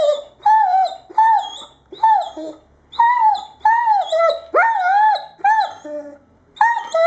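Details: Insistent whine-howls from an Irish Setter, about eight drawn-out moaning calls in seven seconds, some bending downward in pitch, with short pauses between each.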